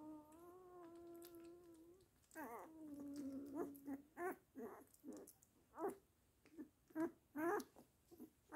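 A Weimaraner holds a high, even whining tone for about two seconds, followed by a lower, drooping whimper. A series of short, clipped yelps and vocal bursts follows, heard indoors.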